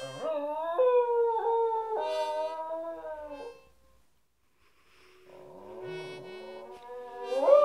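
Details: A Cairn Terrier 'sings' with a sustained, musical howl, holding each wavering note for a second or more before sliding to another pitch. After a brief pause it howls again over a steady, droning musical tone, rising sharply at the end.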